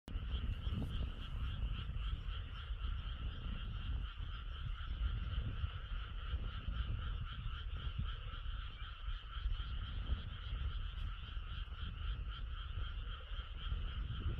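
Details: Frog chorus under a cloud-veiled moon: many frogs calling together in a dense, steady trill of rapid pulses, with a higher buzzing layer above it. Heavy low rumble throughout.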